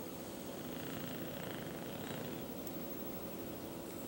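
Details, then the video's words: Snoring of Duke, an English Bulldog kept as a pet, while asleep: an unbroken, coarse, buzzing rumble, evenly loud throughout, compared to an old man's snore. "Duke Snoring Like an Old Man"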